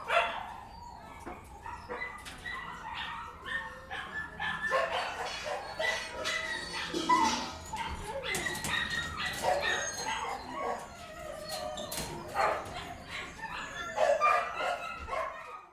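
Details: Several dogs barking indoors at once, overlapping barks and yelps at a lower level, forming a busy, clattering chorus with echoing room sound.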